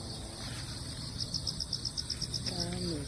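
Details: Crickets heard after a typhoon on damp ground where cats stroll; a clear high chirp pulses about four times a second over a steady insect trill, then a woman's voice speaks at the end.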